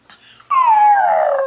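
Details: Pet dog in an apartment howling while its owner is away: after a faint murmur, one loud, drawn-out harmonic howl that starts high and slides steadily downward for about a second.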